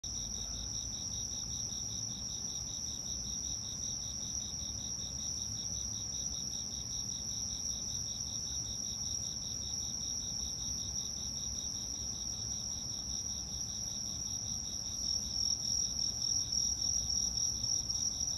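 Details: Steady chorus of autumn insects trills and chirps continuously in high, overlapping bands; recorded 2022.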